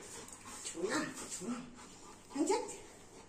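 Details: Golden Retriever whimpering while waiting for her owner to come home: two short, high, rising-and-falling whines about a second and a half apart, with a person's voice faintly in the background indoors.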